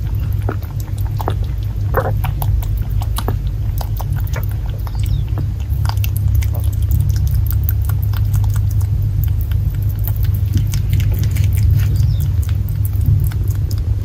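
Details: Indoors in a rural Japanese house, the pet Netherland Dwarf buck Fuku drinks hard with noisy gulps, giving a long run of crisp irregular clicks and wet swallowing against a low droning background.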